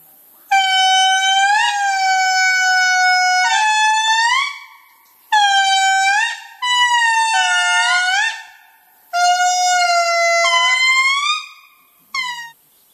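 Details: Indri in Madagascar, the largest lemur, giving loud, tonal wails in five bursts separated by short pauses, each sustained and ending in upward-bending swoops, rich in overtones, almost trumpet-like; no other sounds.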